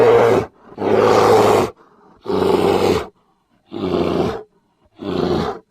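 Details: Grizzly bear uttering five loud, growling roars of varying length, the longer ones drawn out and rasping, separated by brief quiet gaps.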